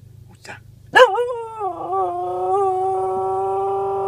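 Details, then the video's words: A pet cocker spaniel, female, making a singing noise: a short yelp, then a long sustained howl that wavers slightly before settling into a steady held tone. A person's voice is heard faintly just before. "Spaniel singing/making noise"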